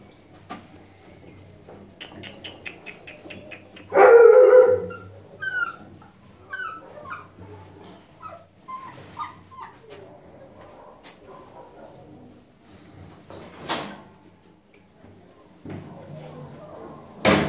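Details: American Akita puppies in Bursa, Turkey: a sudden loud yelp, then high thin whimpers and short sliding whines, with scattered yips and clattering noises between them.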